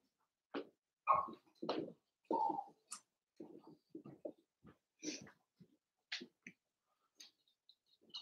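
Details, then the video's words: Cavalier King Charles Spaniel puppies playing together indoors in a home puppy pen: scattered short yelps, whines and soft grunts in irregular bursts, some high squeaky yips, quiet between calls. "Cavalier Puppies Live: Puppies Playing"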